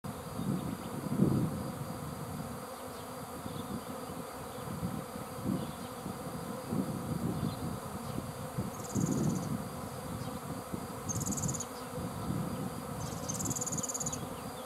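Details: Swarm of bees: a dense, steady low humming drone with pulsing surges, while short high chirping calls break through several times in the background.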